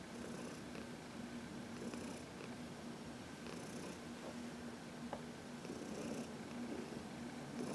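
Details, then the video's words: Fourteen-year-old cat Heidi, once arthritic and now relaxed, purring during a sunny massage; low steady rumble with faint airy inhalation pulses and an occasional small tap. "Heidi — Massage in the Sun"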